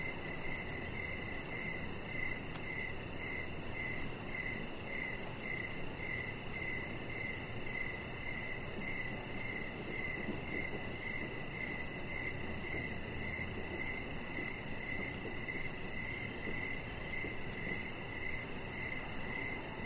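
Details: Crickets chirping outdoors on a deck in the evening, with a chihuahua puppy named Rocket lying nearby; steady rapid pulsed chirps repeat continuously through a constant low rumble of background noise.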